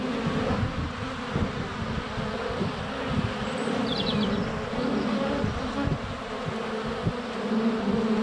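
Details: Honey bees flying close around a hive entrance on a sunny February day, recorded at under a foot with a GoPro Hero 7 Black: dense, continuous droning hum with low thumps as bees land on the camera, faint bird chirps high above.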